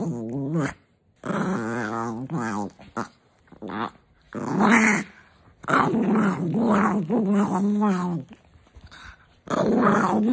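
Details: A grouchy female pet dog, woken indoors in the morning with kisses, answers with a run of drawn-out, moaning growls that rise and fall, broken by short pauses.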